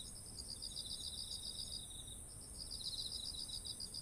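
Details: Autumn insects by fields of ripe rice, ZOOM H1essential recording: rapid bead-like trill pulses for about two seconds, a short gap, then the trill returns, all above an unbroken high steady buzz.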